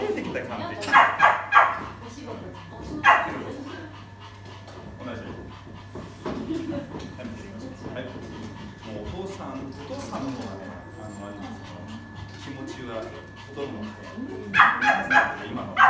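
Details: A queen-tempered poodle that bites barks while being trained. A short volley of barks opens, then a single bark follows, then a long stretch of people talking before another rapid cluster of barks closes.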